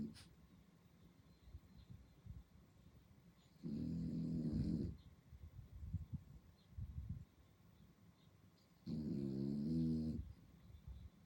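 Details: Sleeping French Bulldog puppy at night in Singapore gives two drawn-out, throaty, buzzy snores lasting over a second each, about five seconds apart, separated by quieter rustling breaths over a low steady hum.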